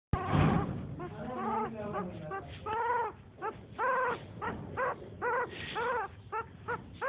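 A newborn puppy gives thin, high whimpering squeals in short repeated bursts.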